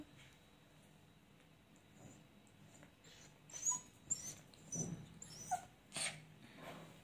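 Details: A male Lhasa Apso gives a few short, soft whimpers and snuffly whines in quick bursts.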